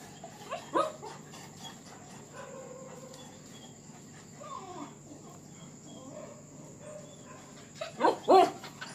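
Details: Confined dogs during mating season, described as jealous and sad: scattered short whining tones rising and falling, with two louder bursts of barking near the end over a steady high electrical hum.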